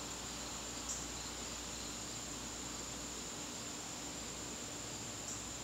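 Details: Crickets calling in a garden on a September evening: a constant shrill high trill, with two brief soft clicks near the start and end over low background noise.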